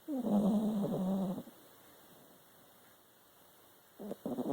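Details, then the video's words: Domestic dog asleep and snoring, one long, rasping, low-pitched snore lasting over a second, then a quiet pause before the next snore begins at the end. "Dog Snoring"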